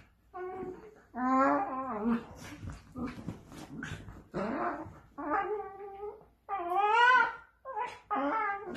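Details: A dachshund whines and moans indoors in a run of drawn-out tonal cries that bend up and down, each lasting about half a second to a second, with short gaps and a few softer grumbles between.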